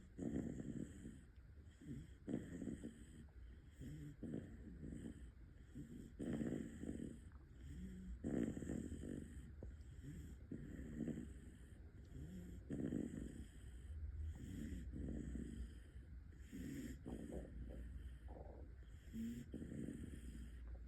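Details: Sleeping Bull Terrier puppy, five months old, snores in a steady rhythm: low, rasping, snorting breaths about every two seconds, some louder than others, over a quiet indoor hum.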